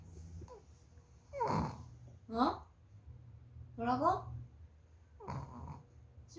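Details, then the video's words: Puppy begging to have the piano played, giving four drawn-out, whiny yowls that rise and fall in pitch, spaced about a second apart, with people talking softly in a small room between the calls. "피아노 쳐달라고 조르는 강아지"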